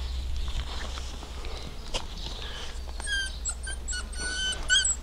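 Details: German Shorthaired Pointer puppies, six weeks old: from mid-clip, thin, very high squeaky whines come in short repeated bursts, rising to a sharper squeal at the end, over a steady low hum.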